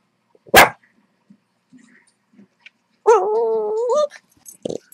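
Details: Blind female Boston Terrier reacting to a squeak toy heard through speakers: one short, sharp bark, quiet snuffles, then a sustained one-second wavering, moaning whine that rises at its end, followed by a faint brief noise.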